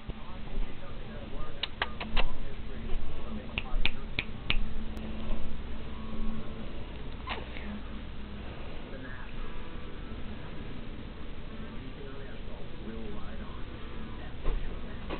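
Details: A happy little tortoiseshell cat purrs as a steady, deep low rumble throughout, while a person chats to her and a few sharp clicking snaps break in early on.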